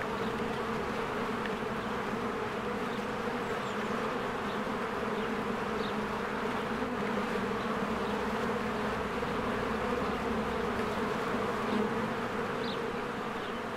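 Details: Spring beehive with swarms of honeybees working and flying in and out: a continuous, thick droning buzz holding a steady low pitch. Brief faint high chirps, perhaps birds, show through now and then.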